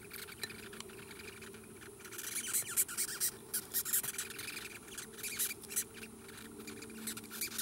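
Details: Red velvet ant, the wingless wasp nicknamed cow killer, filmed up close and later released, gives shrill rasping squeaks in uneven clusters of quick pulses, loudest in the middle, over a soft steady hiss.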